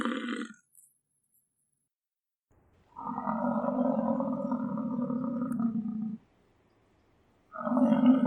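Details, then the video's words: American bison bellowing: a deep, steady, droning roar held for about three seconds after a brief tail of an earlier call, with a second low bellow beginning near the end. "American bison sound - buffalo sound effect"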